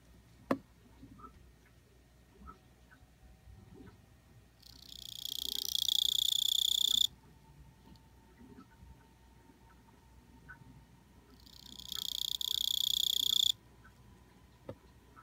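A Kuchiki cricket sings two loud, shrill, buzzing trills, each lasting about two seconds.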